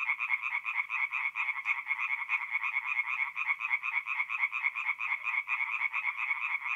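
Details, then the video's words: Tree frogs calling at night from a forest pond in North-East Italy, mid-April; loud, quick-fire croaking pulses overlapping in a rhythmic, throbbing chorus with nothing else audible. "relaxing forest pond by night with singing tree frogs"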